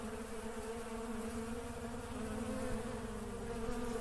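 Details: Continuous humming drone of working honey bees, an even layered buzz that swells a little louder toward the end.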